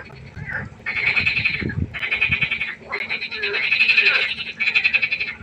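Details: Frogs calling at night by a pond: loud, raspy pulsed trills in bursts about a second long, several voices overlapping into a dense chorus with brief gaps between rounds.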